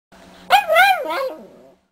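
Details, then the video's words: Chihuahua, a talking female pet dog, making a drawn-out, wavering howl-like vocalization that rises and falls over about a second, shaped like spoken words, in a quiet indoor room. "Talking Chihuahua says "I Love You""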